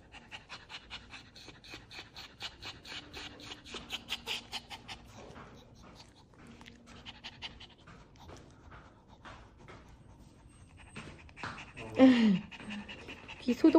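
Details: Panting from Dubu, a Maltese in hospital after right cranial cruciate ligament repair, during an ear cleaning. Fast, airy puffs fade after a few seconds into quieter breathing, then a loud human noise breaks in near the end.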